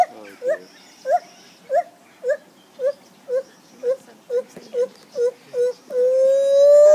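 A lar gibbon gives a quick series of hooting, upslurred notes that ends in a long rising wail.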